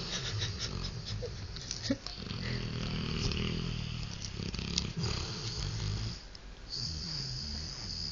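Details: Sleeping 3-year-old male Rottweiler napping on a couch in the afternoon, indoors; rough, low snoring breaths with wheezy, snuffling texture, some faint higher clicks and rustles in the room.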